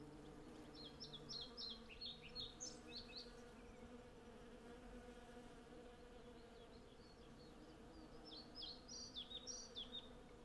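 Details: Hundreds of western honey bees gathering from a blossoming cherry tree produce a constant deep buzzing drone. Bursts of rapid, high, twittering birdsong come at the start and again toward the end. Recorded with a Zoom F6 and Sennheiser MKH 8040 microphones.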